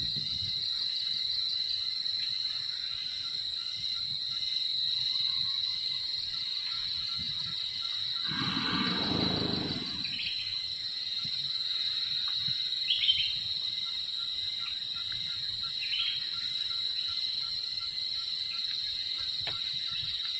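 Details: One deep, noisy snore from a wild Sumatran elephant sleeping, a raspy exhalation of about two seconds in the middle, set against an unbroken high-pitched insect buzz with brief chirps afterwards.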